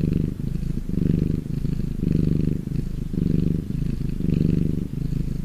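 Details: Contented domestic cat giving a deep, rumbling purr, about five breath cycles of low vibrating sound rising and falling evenly, with no other noises.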